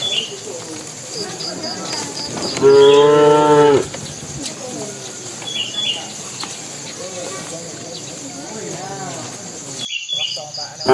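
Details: A bull in a herd of tame cattle going into the pen bellows to call the females. A single strong, steady moo lasts just over a second, followed by quieter background noise and light bird chirping.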